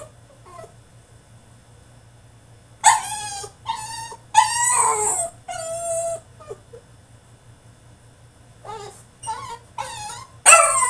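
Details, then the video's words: Caged French Bulldog in a tantrum, letting out clustered high whines and yelping cries with bright harmonics, some falling in pitch, grouped in noisy bursts with a quieter stretch before a final series of yelps. "FRENCH BULLDOG THROWS TANTRUM IN HIS CAGE!!"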